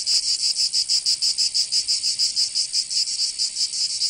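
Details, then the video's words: Cicadas in the south of France, Provence, during summer: a sharp high buzz broken into quick throbbing pulses, roughly seven per second, continuous for the whole moment. "Canto Cigarra"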